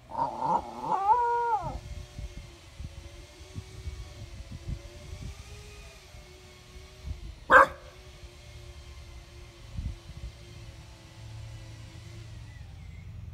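A Basenji gives a brief, warbling, yodel-like burst of rising and falling tones, then a long low drone.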